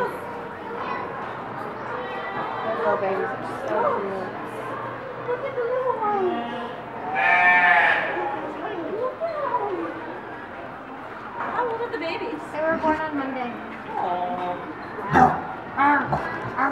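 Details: Newborn piglets from two litters born on Monday at Reston Zoo give high, harmonic squeals, with one loud drawn-out squeal midway, over steady people's chatter.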